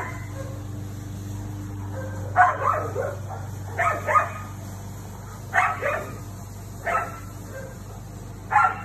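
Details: A Siberian Husky barking while confronting a neighbour's cat: short harsh barks in loose pairs, spaced about one to two seconds apart, over a steady low hum.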